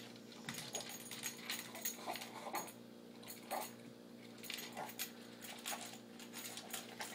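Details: Pug called Buckles finishing a meal in moments: bursts of crunching and smacking clicks every second or so, interspersed with licking, over a constant background hum.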